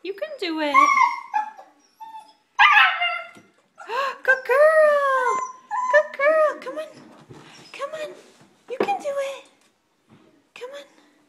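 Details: Frightened 8-week-old female German Shepherd puppy on indoor stairs whines in short rising-and-falling whimpers mixed with yelps, while a person keeps coaxing her down with encouraging words.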